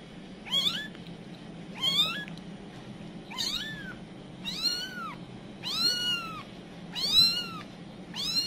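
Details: Village cat mother calling anxiously while her baby kittens wander off: seven loud, arched meows spaced roughly every second and a quarter, each rising and falling with a bright harmonic sweep, against a faint steady background hum.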